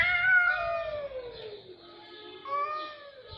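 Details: Cat voice: a long harmonic meow that slides gradually downward, then a shorter, fainter wail rises near the end; nothing else clearly audible.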